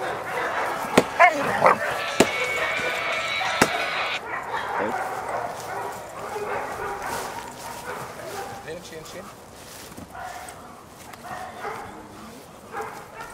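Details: Female Dogo Canario pup Cali de la Arena, out of Hampa de la Arena x Quina de la Arena, starting protection training (schutzdienst): a few sharp, loud barks in the first four seconds, then fainter yips under people talking.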